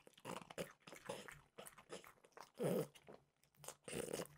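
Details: French bulldog Mimosa snacking on peanut butter flavored dog treats: bursts of crisp crunching and biting, loud around the third and fourth seconds, with quiet gaps between bites.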